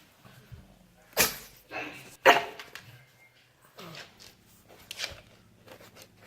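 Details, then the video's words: Derp, a pet pug having a hard time, lets out abrupt snorting, sneezy bursts and a short bark, with quieter grunts between them in a small room. "Pugs life, funny sounds compilation"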